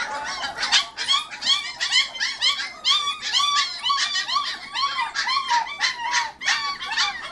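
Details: Border Collie puppies, 25 days old, confined briefly in a crate, keep up a continuous chorus of high, wavering squeals and whimpers, roughly two per second, several pups overlapping.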